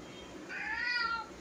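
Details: Domestic cat indoors gives a single drawn-out meow lasting under a second, rising then gently falling in pitch, over a quiet room background.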